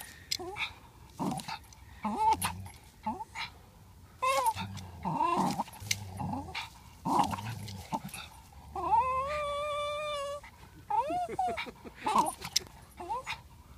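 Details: Parson Russell Terrier and Swiss mountain dog fighting over a ball, giving low growls, short yips and a long drawn-out high whine, with irregular scuffling noise between calls.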